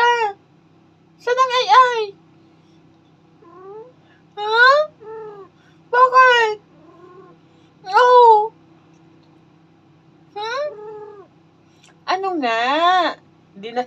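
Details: Domestic cat talking back to its owner, who asks in Tagalog why it is complaining; a series of harmonic, rising-then-falling meows with pauses between, mixed with the woman's questions and a steady low hum.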